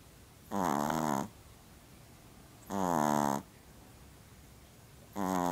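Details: A sleeping Pomeranian snores in slow, steady breaths, each a buzzy, rattling drone under a second long with a slight downward slide, coming about every two and a half seconds in a quiet indoor setting.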